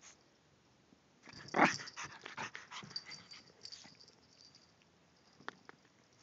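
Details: Indoors, Yorkshire Terrier Wembley plays and runs about the house after a park outing, recorded on a Droid phone; a single sharp, loud bark comes early, followed by scuffling, footfalls and a few softer clicks and taps.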